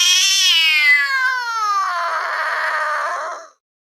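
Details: Domestic cat letting out a weird sound: one continuous wail of about three and a half seconds, starting high and slowly sliding lower while turning rougher and breathier toward the end.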